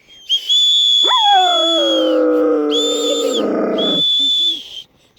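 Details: Caucasian Shepherd Dog 'singing' along as children whistle: a sharply rising howl settles into a long, wavering, harmonic-rich drawn-out tone lasting about three seconds, while steady high human whistles sound above it in bursts.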